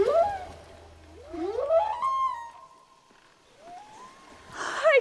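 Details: Underwater humpback whale song whose sounds travel hundreds of miles: gliding, rising wails and a long held tone, then a quieter upward slide and a brighter burst at the end, over a low steady hum early on.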